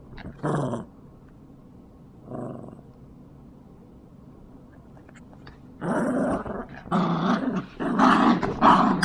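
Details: Tug-of-war play between two Yorkshire Terriers, Jax and Brando: short isolated growls at first, then a dense run of loud, gritty growling in the last three seconds, with music behind.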